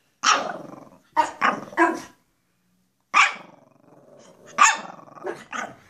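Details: Two Pekapom dogs, a small female named Stella and a male named Moose, being goofy at home; sharp yapping barks in short bursts, a cluster of three then two more after a pause, with a faint growl between.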